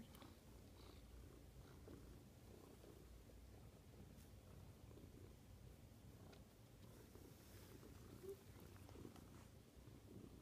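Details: Quiet, steady low rumbling purr from a male pet cat indoors, a continuous soft throbbing drone with faint clicks and rustles over it.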